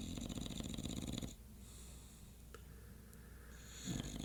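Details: An English Bulldog snoring at 2:50 am with a deep, rattling rasp, then falling quiet before the next breath.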